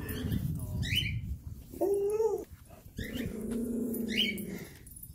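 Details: Three tiny Chihuahuas bark at the same time on a hiking trip, giving high, whiny yaps and drawn-out tonal barks while a person speaks in the background.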